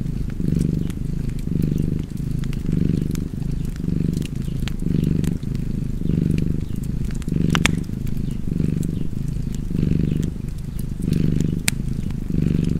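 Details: Low, throaty purring from a cat, rising and falling in regular breath-paced waves of about a second each, while a crackling fire adds occasional bright clicks.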